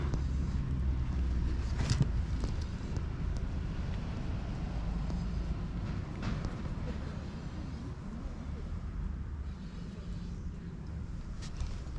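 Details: A continuous outdoor background of traffic rumble and wind, with faint speech and scattered clicks, and no animal call.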